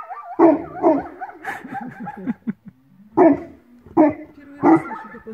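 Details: Newfoundland dog in a Belarusian village, experiencing the village for the first time, barking at sunrise: a run of deep, full barks in short bursts, then a pause and three more barks, with voices mixed in.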